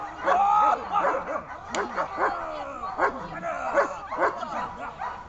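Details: German Shepherd in its first protection training barks in rapid, strained volleys, each bark harsh with rising and falling tone, nearly continuous over a few seconds.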